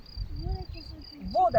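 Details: Crickets calling outdoors on a spring day in nature during a children's outing: a steady, high, thin chirping made of closely repeated pulses runs throughout, while children's and adults' voices talk over it.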